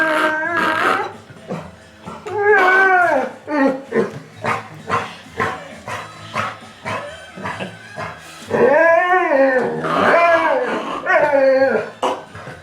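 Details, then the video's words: Male black Labrador Retriever reacting to his owner making noises, giving loud wavering howls and whimpers in repeated bursts, with tones sliding up and down, the longest drawn out near the end. "Black Labrador reacts to his dad making a noise"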